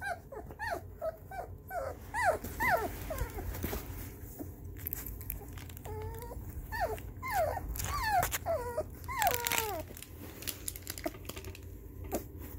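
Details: Puppies react to Haken's music with scattered short squeaky whimpers and yelps, rising and falling quickly, amid clattering and rustling noises and a voice soothing them.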